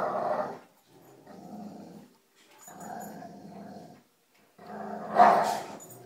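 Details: Dogs Cujo, Kali and Lilly playing tug with a rope indoors. Rough, rumbling growls come in four bursts separated by short silences. The last burst is the loudest and has a sharper, higher edge.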